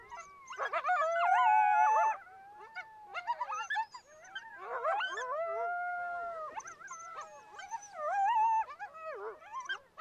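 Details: A coyote pack in full cry: bursts of loud yips and quavering howls in three waves, long bending wails threading between sharp yelping clusters, with quieter gaps in between.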